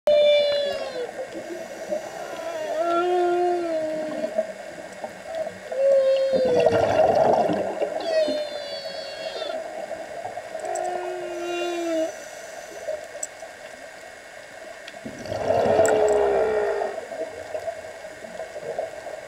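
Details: Humpback whale song heard underwater during a dive: low moaning tones, sliding glides and higher squeaky upsweeps, with bursts of bubbles.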